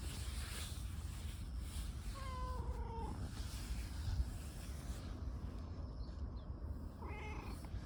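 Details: An affectionate stray tortoiseshell community cat, rubbing up and seeking attention, makes a drawn-out, slightly falling meow followed after a pause by a shorter one, against constant low outdoor rumble.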